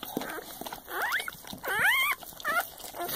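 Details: Newborn Soft Coated Wheaten Terrier and Shiba Inu cross puppy during the litter's birth, squealing in loud rising and falling whines, three quick cries over about three seconds, with soft scuffling around it.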